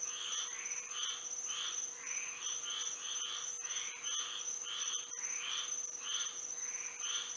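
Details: Moonlit night in Florida with frogs singing, a steady pulse of short bright calls, some doubled, spaced roughly half a second apart, while a high constant insect whine and soft hiss fill the background.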